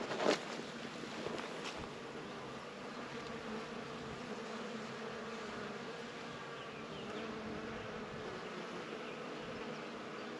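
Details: Bees foraging around flowers give a continuous droning buzz with a steady tonal hum, opening with a short louder burst, over a soft airy background.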